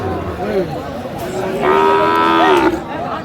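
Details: Sahiwal bull calf at a cattle market in Sylhet, 15 February 2025, giving one steady, drawn-out moo of about a second over a busy background of crowd chatter.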